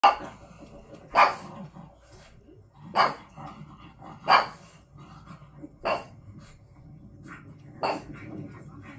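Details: A female pug barks at the TV while watching videos of herself, giving sharp, punchy barks one every second or two over a faint background murmur.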